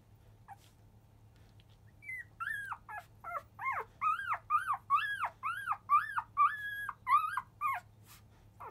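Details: Field-type Labrador Retriever puppies, five days old, from the mother biscuit, clamour as they start to nurse a little after 1 pm. About a dozen loud, squealing whines arch up and down, coming in quick succession about twice a second over a low indoor hum.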